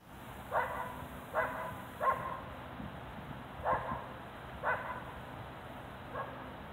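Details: A dog barks across a field, calling for attention with short, sharp barks at uneven intervals.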